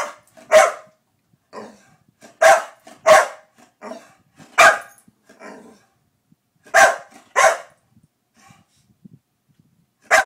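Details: Barking in play between Daisy, a two-year-old Pit Bull, and Louie, an eight-year-old Chihuahua: sharp single barks in irregular clusters, with softer growly yips between them.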